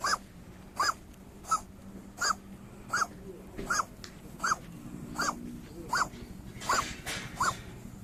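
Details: Local stray cat suddenly starting to cough as its backside is petted, giving a regular series of brief, dry hacking coughs spaced under a second apart, with faint low hum behind.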